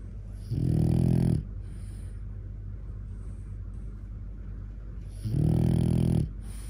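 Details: Four-year-old cream male French Bulldog, indoors, seemingly displeased with the position of its jaw, gives two low, rumbling, harmonic growls of about a second each, separated by roughly four seconds of quiet breathing.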